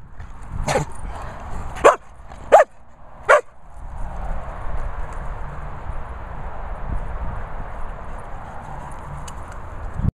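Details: Springador barking at a licensed dog training and boarding kennels in the Worcestershire countryside: four sharp, loud barks in the first three and a half seconds, then a steady rushing background hiss to the end.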